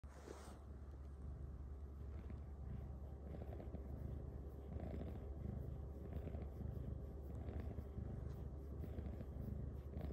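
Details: Luxe, a cuddly female cat, purrs during her nightly massage from her humans: a steady low rumble fills the clip, with soft rustling of hands stroking her fur.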